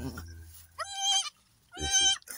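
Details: Goat on a goat farm delivering three female kids; two loud, high, quavering bleats, each about half a second long and rich in harmonics, the second following about a second after the first, with a low hum underneath at the start.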